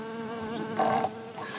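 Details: A digger bee buzz-pollinating a flower, vibrating its body fast without flapping its wings: a steady droning hum with evenly stacked overtones, swelling into a louder, brighter burst midway, then settling back.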